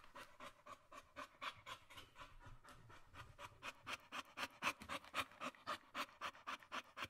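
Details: A female Staffordshire Terrier indoors pants quickly and steadily, nearly four breathy huffs every second.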